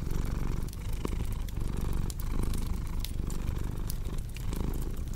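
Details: Rumbling purr of a cat, heavy and low, rising and falling with each breath while a fireplace crackles and pops over it.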